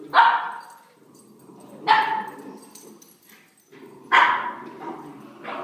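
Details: Playing puppies: three sharp, high yapping barks about two seconds apart, with low growling and scuffling noises between them.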